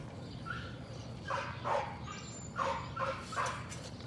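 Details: Patterdale Terrier puppies working rats in a puppy pen in the evening; a series of short, high, tonal yips in uneven bursts over a steady low hum.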